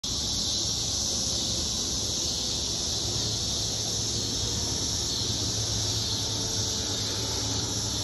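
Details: Cicadas in Illinois forming a loud, dense chorus: a continuous high, hissing drone held at steady volume throughout, with low rumbling underneath.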